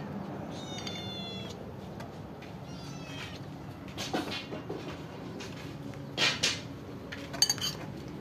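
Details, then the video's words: Stray cats and kittens waiting for food give short wavering meows early on, then clattering like dishes and cutlery, bumps and scraping take over the later seconds. "The cats and the kittens were waiting for me to feed"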